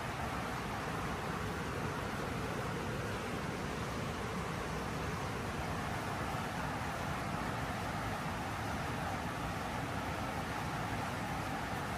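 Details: Steady broadband rushing noise like rain or traffic, with no animal voice. The hiss stays even throughout, with no calls or purring standing out.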